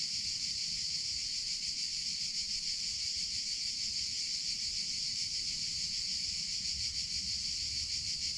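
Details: Summer cicada chorus, a continuous shrill hiss-like buzz at high pitch without pauses, over a soft low background murmur.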